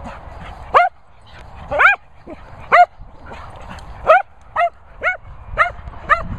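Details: Cocker Spaniel barking in short, sharp repeated barks with some yips, roughly one per second, about ten barks over the stretch, with faint background rustle.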